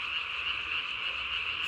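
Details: Nighttime Japanese tree frog chorus from 3 May 2020, the caller's vocal sac puffed up as big as its body; an unbroken high-pitched rasping drone continues evenly from start to end.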